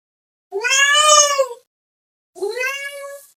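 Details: Domestic cat calling another cat with two drawn-out meows, the first long and wavering, the second shorter and falling away; strong harmonic, nasal tone with a quiet gap between calls.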